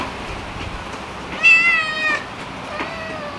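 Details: One outdoor kitten gives a single clear, high, drawn-out meow while begging for food at meal time, with a faint second call afterward over a quiet hiss of background noise.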